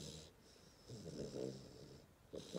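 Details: A sleeping 10-week-old Hungarian Vizsla puppy snores in low, rumbling breaths, with a soft hiss between them.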